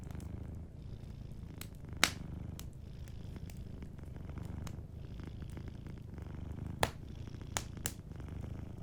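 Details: A sleeping cat purring softly beside a warm fireplace: a steady low rumbling purr with gentle pulsing, overlaid by sharp crackles and pops from the fire, a loud snap near two seconds and several more toward the end.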